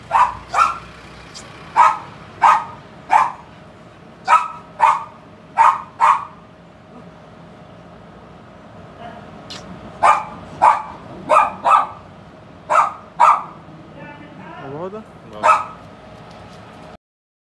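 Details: Male Husky puppy from Nabha, Punjab, yapping in two runs of quick, clipped barks separated by a four-second pause, roughly seventeen barks in all, followed by a short rising whine-like sound and a final bark over a low background hum.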